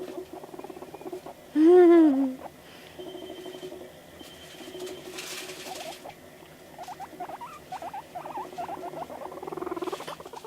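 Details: Pet guinea pig indoors reacting to videos gives one loud, arching squeal. It is followed by quieter scattered chirps and soft pulsed rumbling, with faint room noise.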